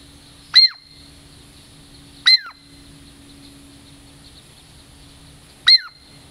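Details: Douglas squirrel, a tame female from the Puget Sound lowlands, coming in for a treat gives three piercing, descending chirps, the last after a longer pause, each trailing into a thin sustained tone; background otherwise calm.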